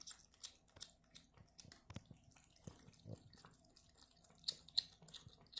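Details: Very thirsty male cat drinking from a bucket under a tub faucet indoors, smacking and licking his lips; soft, irregular clicks come about three times a second, with light water drips and splashes around them.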